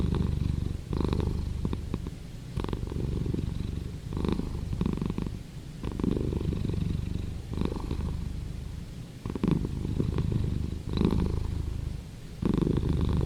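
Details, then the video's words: Cat purr, continuous and low-pitched, with a rough vibrating texture. It rises and dips in loudness with the animal's breathing about every one and a half to two seconds. Nothing else is heard. "Cat Purring"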